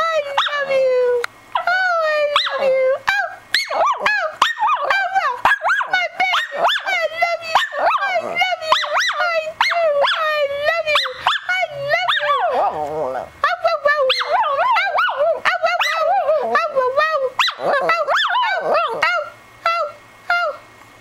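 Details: A female Shih Tzu howls in long, wavering, rising and falling tones as she sings along with her owner and tries to mimic the singing; the owner says it sometimes sounds like "I love you".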